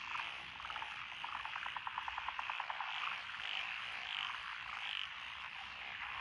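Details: Rice-paddy frog chorus from lotus fields in Echizen, Fukui, Japan, 12 June 2021, with several species present, among them Japanese tree frogs and Schlegel's green tree frogs. A fast train of rattling pulses early on gives way to repeated higher croaks over a continuous background chorus.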